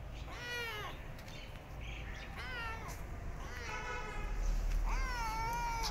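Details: Starving abandoned kitten, limping in the street, gives four clear, drawn-out harmonic meows that bend upward and then slide down, spaced about every one and a half seconds over low street rumble.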